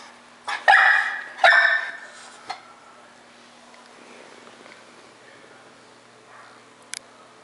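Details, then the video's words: Four-month-old female English Bulldog puppy indoors, annoyed and barking at a bulldog seen in a window: two loud, harsh, rough-toned barks in quick succession, a short softer yelp a second later, then quiet over a steady low hum. "English Bulldog Puppy Cupcake Barks at Dog in Window"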